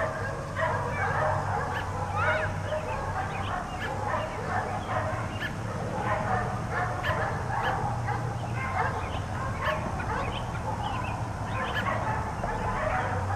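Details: A long stretch of nonstop barking from four dogs left outside all day, many overlapping mid-pitched barks and yips running together with a steady low mechanical hum beneath.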